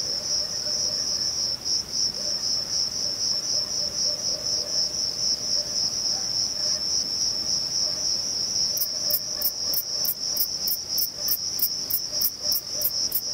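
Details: Thyreonotus corsicus, a male bush-cricket singing at Vilella (Sueca): a steady high-pitched buzz for several seconds, then crisp rhythmic chirps start and repeat about three or four times per second.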